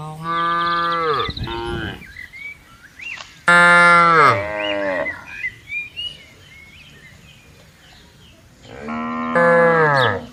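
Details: Cattle roaming a broad countryside pasture alongside buffaloes let out loud, strongly harmonic moos, the first falling in pitch, then a long bellow near four seconds and another near the end, with soft bird chirps in between.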